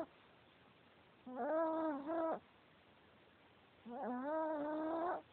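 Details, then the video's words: Sleeping male Chihuahua snoring loudly; two voiced, nasal snores about a second long each, slightly rising in pitch, separated by quiet breathing. "Chihuahua snoring"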